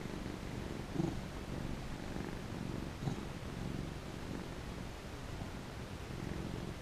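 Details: Contented house cat purring under petting; a soft, even low rumble with slight rhythmic pulsing, interrupted by two brief louder chirp-like bumps near the start.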